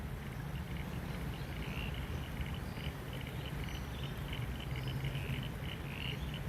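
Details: Frogs call in repeated short bursts beside the rain-swollen River Torrens, South Australia, after rainfall with more rain expected, over a steady low rumble of wind and flowing water.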